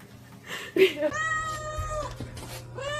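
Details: Domestic cat meowing indoors: a drawn-out, level, nasal meow of about a second, followed by a shorter rising meow, with rustling and a low hum underneath.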